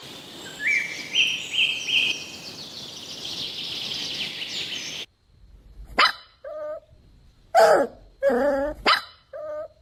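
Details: Puppies drinking milk on a lush green meadow: five seconds of hissing background with a faint rising whine, then a burst of sharp barks mixed with short nasal yips.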